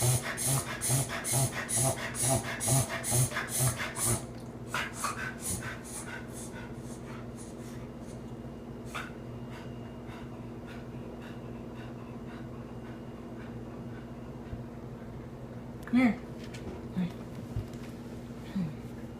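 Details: A four-year-old male Cocker Spaniel makes a rapid run of harsh, rhythmic snorting pulses, about two each second; a recurring unexplained episode that worries his owner and the vet has not yet seen.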